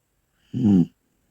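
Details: A single short, deep, rasping snore from a sleeping Bull Terrier, a low buzzing rumble of under half a second in a quiet room.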